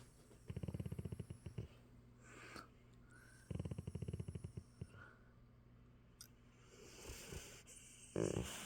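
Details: Sleeping after a long walk, Sassy the red fox Labrador makes two short bursts of deep, throbbing growl-snores about three seconds apart, each around a second long, separated by soft breathing, with a brief noise near the end.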